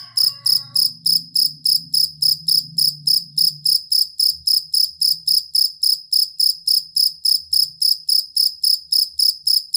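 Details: Cricket, described as a jangkrik kalung or fighting cricket, used as a master tutor for competition songbirds: steady, high, ringing chirps repeating about three and a half times per second, with a brief faint warbling call at the start and low rumble.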